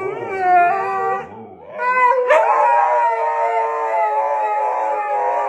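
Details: Siberian husky. A Siberian husky vocalizes in long, bending howls with a talking, yodel-like quality. After a brief dip, the sound swells into a fuller, layered wail that holds steady to the end.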